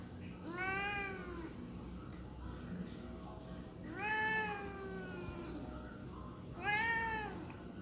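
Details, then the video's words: A complaining tabby cat meows three times, loud rich harmonic cries that rise and fall, roughly every three seconds, with faint low hum between calls. "Tabby cat is complaining about something"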